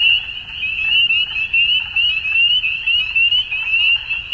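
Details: Many frogs in an Ontario spring dusk chorus, giving rapid high upward-sweeping notes that merge into a constant shrill wall of sound with gentle rhythmic swells and faint low noise.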